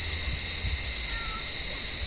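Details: On a warm evening cicadas keep up a steady, piercing electric buzz from an olive tree as blind cats hunt among the branches; the drone never pauses, with muffled low bumps underneath.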